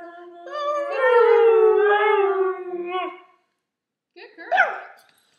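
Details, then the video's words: Pure-bred Siberian husky, two years old, singing a drawn-out howl that rises slightly, then slides gradually lower over about three seconds. After a short silence comes a brief, sharper yelping rise and fall. "our husky singing"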